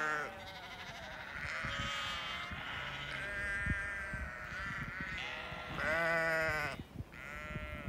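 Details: Flock of hungry Lincolnshire Longwool sheep with grown-up lambs in England calling continuously, loud quavering bleats layered over each other, one deep strong bleat near the end standing out above the chorus.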